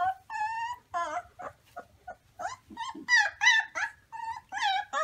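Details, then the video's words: Wolf pups giving short, high yips and whimpers in quick irregular bursts, several clipped calls per second with brief silent gaps between them. "Cutest Baby Wolf Pups Howling"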